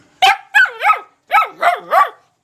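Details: Young black Labrador Retriever puppy giving two runs of three high, yelping barks each, the barks rising then falling in pitch, with a short silent gap between the runs.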